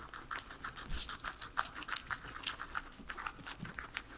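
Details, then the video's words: Indoor pet guinea pigs, three of them, munching on a salad of vegetables: rapid, irregular, crisp crunchy bites about three per second, bright and clicky, with no voices or music. "asmr guinea pigs eating veggies"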